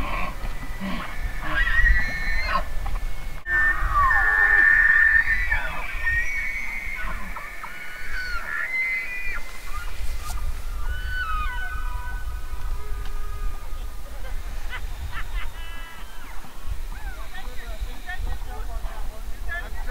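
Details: Elk bugle: a bright, sustained whistled note stands out early, followed by scattered shorter squeals and faint whistles over a steady low wind rumble.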